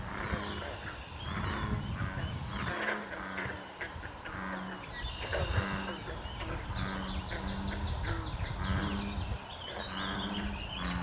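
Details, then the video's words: A frog chorus at the small pond where the Colchester Spur joins the main Air Line Trail, May 21, 2024. Deep, repeated croaking pulses pass steadily while several birds whistle and chatter above. "Frog Chorus"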